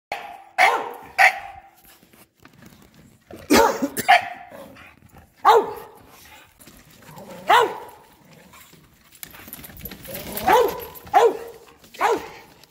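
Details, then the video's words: Bulldogs barking at a shop vacuum: short sharp barks in loose bursts, some doubled, with quiet gaps between and a faint background hiss late on. "Bulldogs vs ShopVac"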